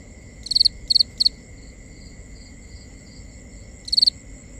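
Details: Crickets at night, recorded binaurally: three quick high pulsed chirps, a pause of about two and a half seconds with faint background chirping, then one more chirp, over a steady high drone.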